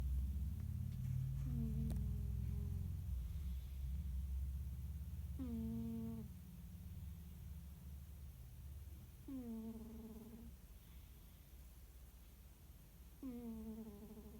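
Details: Annie, a tabby cat, snoring while dreaming: a steady low rumble underneath, with a short squeaky tone that slides downward about every four seconds, four in all, in a quiet small room.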